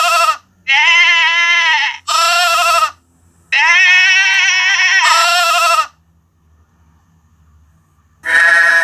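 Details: Sheep, lamb voice, high bleating: loud, bright, shaky baas, some long and drawn out, several back to back, then a pause before another starts.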